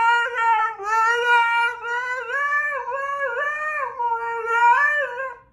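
A Siberian husky 'sings' in a long, wavering howl that slides up and down in pitch.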